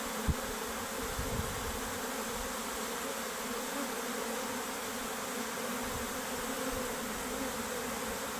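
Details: Worker honey bees abandoning their hive, heard as an unbroken broad buzzing hum holding level for the whole stretch, with a brief low knock near the start.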